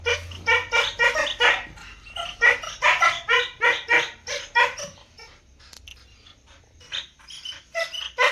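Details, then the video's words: Dogs barking loudly: rapid bursts of harsh barks several per second for about five seconds, a brief lull, then more barking resumes toward the end, with a low background hum. "dog barking loudly sound effect"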